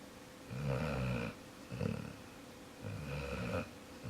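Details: Sleeping dog Jaxson snores in a small room: three deep, rattling breaths about a second long each, spaced about a second apart, low and throaty with a nasal hum above.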